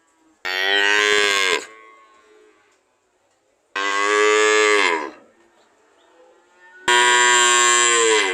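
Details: Three loud, steady moos from a cow, each about a second long with rich harmonics and a slight falling end, separated by quiet gaps of two to three seconds.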